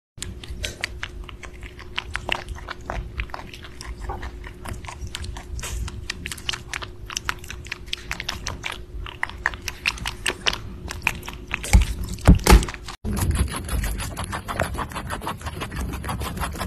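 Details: A rabbit eating: rapid crisp crunching and biting clicks repeated steadily, more than one per second, with a brief louder rustle near the end and a faint steady hum beneath.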